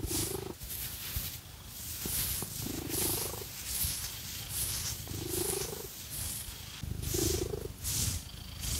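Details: Phoenix, a pet cat, purrs during a scratchy massage with fake nails; a continuous low throbbing rumble rises into brief hoarse tonal swells on each breath, with loud rasping nail scratches sweeping in regular strokes.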